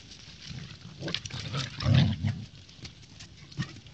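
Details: Siberian Husky puppy Thor wrestling with a golden retriever puppy, giving a low rumbling growl that swells near the middle and then fades, with faint scuffling and light higher noise throughout.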